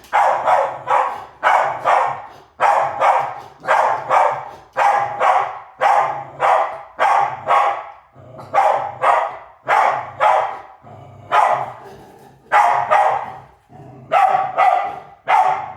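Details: Chasing dog named Maisy barks steadily for about sixteen seconds, a long run of sharp, evenly spaced barks roughly two per second, with a few brief pauses, loud and clear with little else heard.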